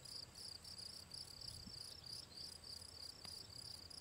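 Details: Gryllus campestris, the field cricket, recorded 18 June 2023 by the ponds of the Draga valley: crisp high chirps about three per second, each a short trill, clear over quiet background with one faint click.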